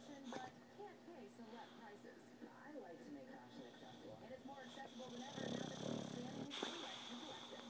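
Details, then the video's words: Sleeping boxer named Pappy, snoring with flapping lips: one loud, broad, rasping snore lasting about a second near the end, after a stretch of human chatter and laughter. "Pappy the snoring boxer"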